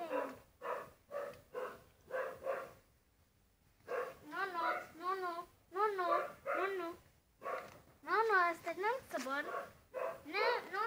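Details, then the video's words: Husky Molly indoors: after a series of short, evenly spaced choppy bursts and a pause, a run of wavy, sliding yowls with bending pitch comes in clustered phrases, growing more animated toward the end. "Husky dog Molly"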